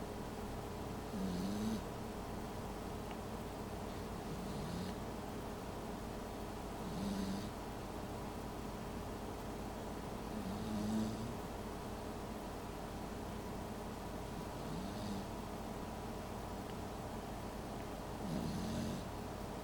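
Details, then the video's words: Pembroke Welsh Corgi puppy snoring in its sleep: soft raspy breaths every three to four seconds, each with a faint hiss, over a steady low hum. "Snoring Corgi"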